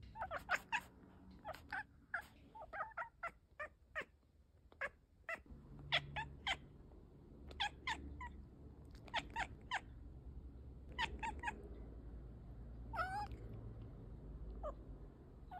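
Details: Cat chittering and clicking: many sharp, short chirps in irregular rapid runs, some in quick doublets, with one longer wavering call near the end and a soft low rumble beneath.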